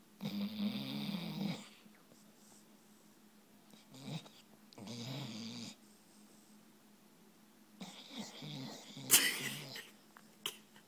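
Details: A sleeping Brittany Spaniel snoring in rough, rasping breaths about one to two seconds long, separated by quiet pauses, with a sharp click near the end.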